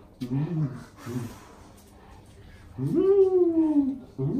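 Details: A golden retriever, with parent and offspring present, gives a drawn-out, high whine that rises and then slowly sinks after brief human voices, as a person suddenly plays dead in front of them.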